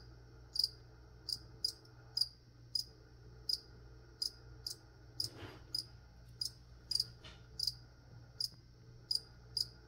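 A cricket gives short, high, ringing chirps, repeated roughly every half second to second.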